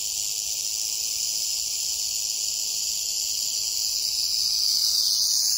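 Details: Timber or canebrake rattlesnake (Crotalus horridus) on a North American dirt road, giving a continuous rattle. The high, dry buzz holds steady for several seconds, then shifts slightly and grows a little louder near the end.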